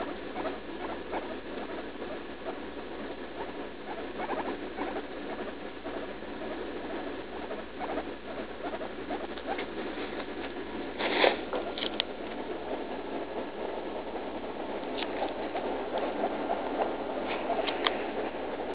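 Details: Leslie, a roughly three-year-old female pet guinea pig, vocalizing in pain while defecating right after eating leaf lettuce, under treatment for a suspected UTI; dense, continuous rapid squeaky chattering throughout, with a sharper louder burst near the middle.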